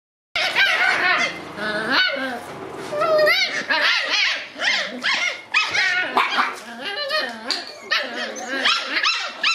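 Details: Red Shiba Inu male puppy born December 27, giving high, shrill whines and yelping whimpers that rise and fall in quick repeated bursts, nearly continuous for about nine seconds after a brief silence.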